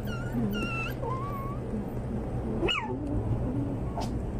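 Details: Pomeranian (toy spitz) puppies give thin, high whimpers and yips that slide up and down in pitch.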